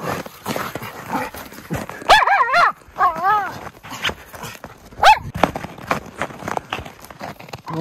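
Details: Two white Miniature Schnauzers, Lucky and Levi, playing in deep snow tunnels in Aroostook County, Maine, January 22, 2023; drawn-out wavering yelping whines midway, then one short bark, with snow-crunching footsteps and a woman's voice throughout.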